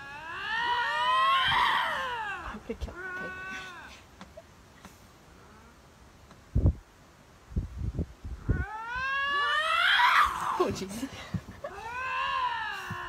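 A lynx gives long, wavering yowls that rise and fall, rival cats contesting territory, with excited human voices.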